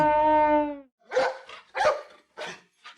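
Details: Dog barking: a long, low, drawn-out voiced tone first, then four sharp, harsh barks about half a second apart, the last one fainter.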